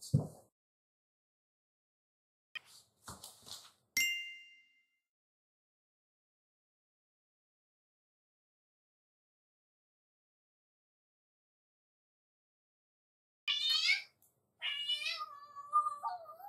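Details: Black-and-white tuxedo (hachiware) cat Nattsubon, a house cat left home alone, greeting its owner returning home; a single bright chime rings early, a long quiet follows, then a run of harmonic, bending meows closes the recording.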